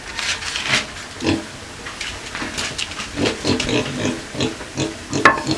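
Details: Native pigs eating at feeding time, two animals kept with native chickens: coarse, broadband grunts and chewing bursts come in uneven runs, several per second, over a light hiss.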